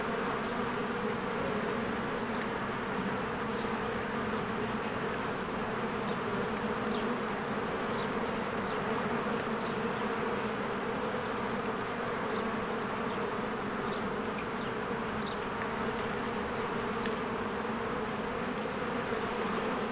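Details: Honeybees swarming around their hive in spring as trees green and flowers bloom: a constant deep buzzing hum from many wings, level and continuous, with occasional faint high-pitched chirps above.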